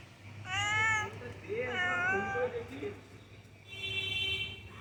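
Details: A cat found on a building's ground floor on a misty, cold morning gives two long, wavering meows while a person talks softly nearby, followed by a high electronic-sounding tone.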